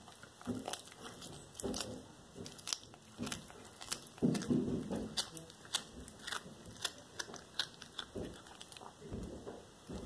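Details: Black tabby cat Cracker devouring a small whole raw rat indoors, February 13, 2022: wet crunches and bone-cracking bites come in quick irregular bursts, with louder tearing chews near the middle and sharp clicks throughout.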